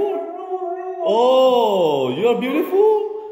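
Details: Red female Siberian husky vocalizing: a steady drawn tone, then a louder harmonic-rich wail that dips and rises in yodeling, wavering bends. A person's voice talks to the dog around it.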